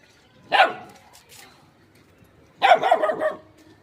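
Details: A little dog barks, with a shy cat nearby: one short, harsh bark, then about two seconds later a stuttering run of several quick yaps; near silence in between.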